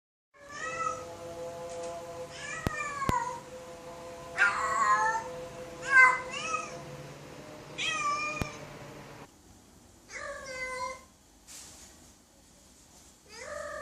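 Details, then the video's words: Cats meowing loudly, a series of drawn-out harmonic meows, some rising then falling, in bursts of about one second with short gaps, a few sharp clicks between calls. "Cats Meowing Loudly"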